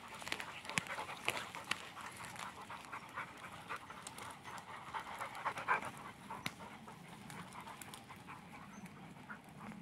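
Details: English Springer Spaniel out for a Sunday walk, breathing in fast, rhythmic, airy pants that swell and fade, with occasional sharp clicks and light rustle.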